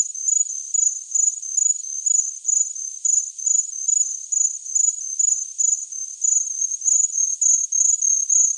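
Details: Cricket producing bright, high-pitched chirps in regular pulsed groups, slightly louder and more crowded toward the end, with no other sounds present.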